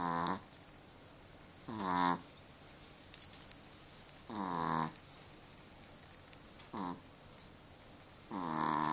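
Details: Snoring from a pet dog: rasping, droning breaths at irregular gaps of about one and a half to two seconds, some longer and louder than others, in a quiet room.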